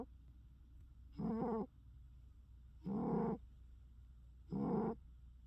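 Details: Pet cat snoring furiously: three rough, throaty snores with a buzzy, harmonic tone, each about half a second long and spaced roughly every one and a half seconds, over a faint low hum.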